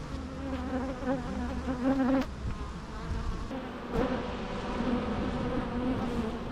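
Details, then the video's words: Buzzing bees with a low steady hum, one nearby bee growing louder and higher before cutting off sharply, then the background drone continuing with fainter passes. "natural bee sounds"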